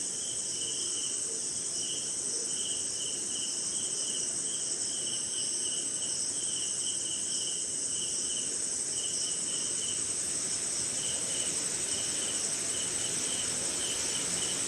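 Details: Jungle crickets calling during a short rainy night in India: an unbroken high-pitched ringing tone, plus a mid-pitched pulsed chirp in clustered bursts that thin out midway, against steady rain noise.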